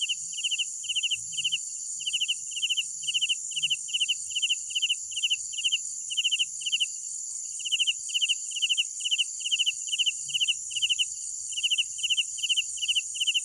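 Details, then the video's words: Night crickets giving trilled three-note chirps in a steady train, roughly two to three per second, with a brief pause midway, above a constant high-pitched insect hum and faint low rumble. "Sounds of Night Crickets"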